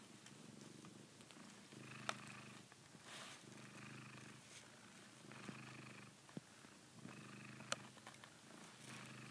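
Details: A Savannah cat purrs steadily while biting a blanket it treats like a female cat's neck, a low rumbling throb that swells and eases with each breath.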